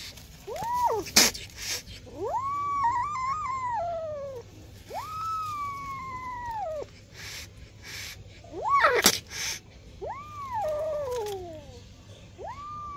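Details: Kitten two months old meowing repeatedly, around eight high, arched meows, some short and rising, others drawn out and falling, with sharp taps and clicks in between.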